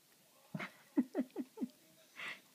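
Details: Adult Pomeranian named Kou-chan, indoors and absorbed in playing with a string toy, gives four short, low growling pulses in quick succession, about a fifth of a second apart, followed by a soft breathy rush.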